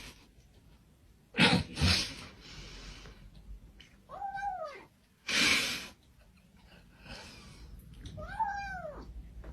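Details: Domestic cat making odd noises indoors in a small room: broadband sneeze-like snorts near 1.5 and 5.5 seconds, alternating with two short arched, nasal meow-like calls with clear harmonics, all separated by quiet gaps.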